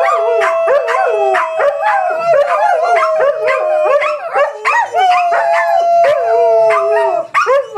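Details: A group of household dogs joins in a singing howl, one clear level note stretched for seconds at a time, laced with rapid bending yelps and whines from the others, dense and unbroken throughout.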